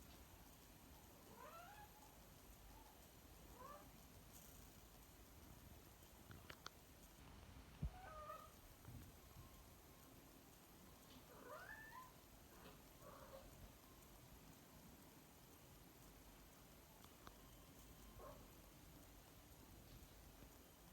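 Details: Cat recently moved to a new home, giving a series of short, faint, wavering meows spaced a few seconds apart over a constant loud background hiss, with an occasional sharp click.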